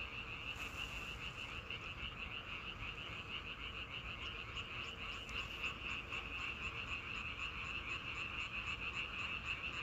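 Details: Frogs calling in a dense chorus in nature, a continuous high pulsing trill of rapid croaks, about three pulses a second, steady throughout; a brief broadband rustle near the start and a low background rumble underneath.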